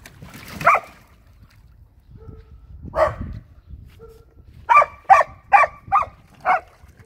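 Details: Two pet dogs, Samoyed Luma and Keeshond Zuko, chasing around the yard at poolside play; scattered single barks, then a rapid run of five short, punchy barks near the end over low background rumble.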